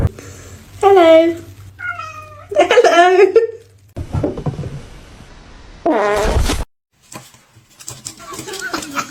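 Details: Kitten meowing: drawn-out, wavering harmonic meows in several bursts, one higher and thinner, another loud and harsh near the end, with quieter murmurs and human voices between them.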